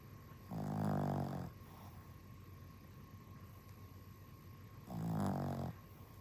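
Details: Exhausted dog snoring: two loud, low, rasping snores roughly a second long, spaced about four seconds apart, separated by quiet stretches with a faint constant hum.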